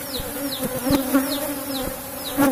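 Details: Apis cerana colony in a box hive, disturbed during honey harvest, producing a continuous low hum with steady overtones, punctuated by several soft thumps and taps of handling.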